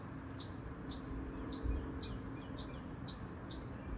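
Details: Chipmunk chipping: crisp, high clicks about every half second, eight in quick succession, with a low background hum beneath.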